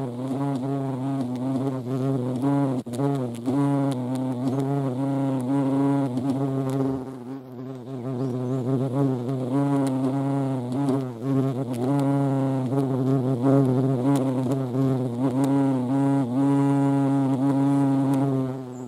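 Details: Sustained buzzing of European hornet around a feeding site in the Eifel, a deep humming drone with gliding overtones, loudness surging and easing as insects approach and leave, brief lull around the middle.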